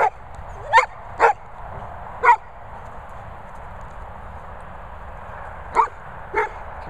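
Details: Golden retriever talking with five short, clipped yips, three in quick succession, then a pause of several seconds before two more, over a quiet indoor background.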